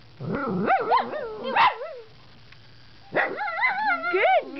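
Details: Pet dogs guarding their owner against puppies outside the house; the female, trained to yodel, uses it when acting scary. Two long wavering, warbling harmonic yowls, rising and falling, separated by a second of quiet.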